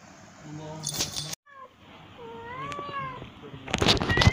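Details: Female cat in heat calling to mate: a drawn-out, wavering yowl that rises and falls, then tails off, with a chanted human voice and sharp clattering noises before and after.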